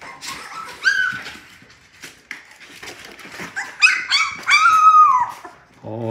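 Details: Six newborn Labrador Retriever puppies waking in the morning whine in high, thin, wavering cries, one pup unusually vocal, with their mother nearby and a woman speaking softly between cries.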